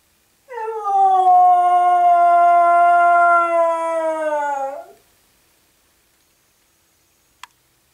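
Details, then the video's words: A dog named Aggie howling indoors in the morning, upset after the other two dogs were taken for a walk; one long sustained, slightly falling harmonic howl of about four seconds, then silence and a brief click. "Aggie howling"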